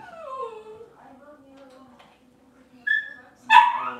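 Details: Cavalier King Charles Spaniel puppies on an indoor kitchen cam on a cloudy Monday morning: a long whine slides downward, a low steady hum lingers, then two short, sharp yips burst out at the end.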